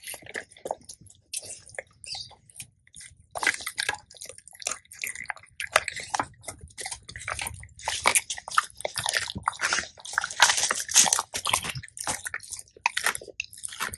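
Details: Labrador retriever eating a raw diet of quail and deer ribs, crunching bones: dense bursts of sharp, crackling bites and snaps, thickening after the first few seconds and continuing steadily, with wet squelches in between, indoors.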